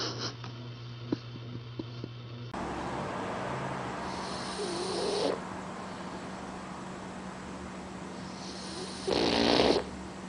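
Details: Snoring puppy asleep, two raspy, breathy snores several seconds apart, the second brief and slightly wheezy, over a hissing background after an abrupt change in room noise.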